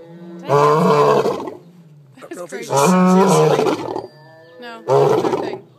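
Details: A lion at an animal rescue facility in Eureka Springs, Arkansas, apparently roaring in its sleep, gives three loud, rough, groaning roars about a second long with short quiet gaps between.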